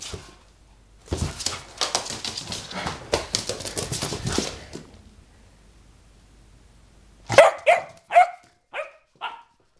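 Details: A springer spaniel puppy named Sophia, 4 months old and going slightly crazy: several seconds of scuffling, rustling noise, then a pause, then a burst of five sharp, high puppy barks in quick succession, fading toward the end.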